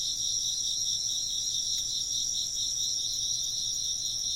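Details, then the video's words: A chorus of chirping insects: continuous high, shimmering trills layered in two pitch bands, softly pulsing and unbroken for the whole stretch, with only a faint brief tick in the middle. "風鈴の音と虫の声 - wind chimes and chirping insects"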